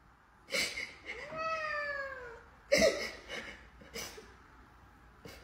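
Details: Domestic cat giving a single drawn-out meow of about one second that rises slightly and then slides downward, rich in harmonics. Sharp broadband thumps and bursts of noise come before and after it.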